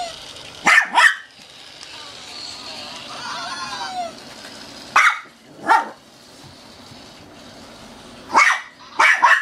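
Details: Female Shih Tzu Sha sha barks while playing, afraid to grab a toy. Paired sharp barks come at intervals, a squeaky toy warbles between them, and soft voices murmur in the background.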